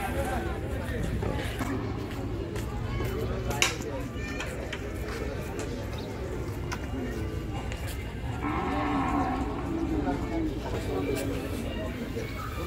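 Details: Large cow for Qurbani Eid 2021 at Gabtoli cattle market, Dhaka, Bangladesh. Partway through comes a long, rich, harmonic lowing moo, buried in dense market noise of overlapping human voices and clatter.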